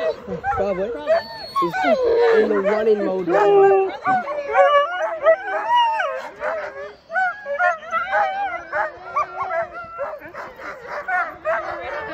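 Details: Excited sled dogs getting ready for a trail run in Larose Forest, Ontario, Canada. Several dogs give overlapping wavering howls and yips, with a human voice early on.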